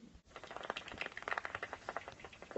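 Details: Bat echolocation from a Flemish meadow, made audible with a detector: a rapid, irregular patter of dry clicks and ticks. The species is not stated, though the common pipistrelle is among those discussed.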